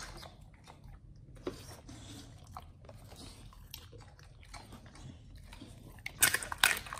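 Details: Pit Bulls eating a raw feeding combo of beef trimmed chunk, quail egg and duck wing; soft irregular biting and chewing over a low rumble, ending in a burst of louder crunching.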